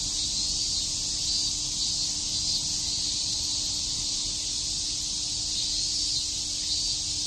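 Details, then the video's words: A steady, piercing drone of many cicadas chirping on a summer day at Shakujii Park in Tokyo, with no other clear sounds. "Cicada chirps"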